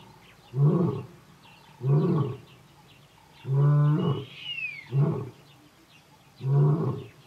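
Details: Kgalagadi lion at Urikaruus, March 2018, roaring to call his coalition brothers; low, heavy grunts repeat about every 1.5 seconds, with one longer roar in the middle and a brief rising bird whistle overhead.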